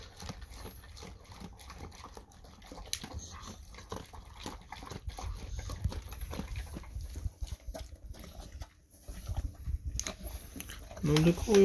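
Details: Golden Retriever gulping down its usual breakfast fast indoors. Rapid crunching and chewing clicks come in quick irregular bursts, roughly three per second. Louder knocks build toward the end.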